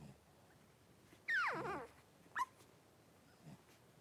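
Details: Blenheim Cavalier King Charles Spaniel puppy from a litter of five, born New Year's and kept with mother Paris in a home puppy pen; one loud harmonic whine slides steeply downward, then a brief high yelp and a faint low murmur in a quiet room.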